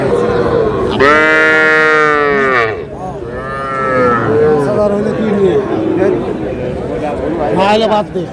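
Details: Heifer calves and young bulls at a cattle market in Madaripur, Bangladesh, 17 February 2026; one loud, sustained moo of nearly two seconds, then shorter lowing calls, over a background of people chattering.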